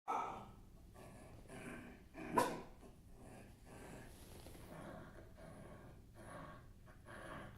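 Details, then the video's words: Maggie, a dog, barking indoors: a few short broadband barks spaced irregularly, one sharper louder bark near the middle, with quieter muffled sounds in between. "Maggie barking sounds"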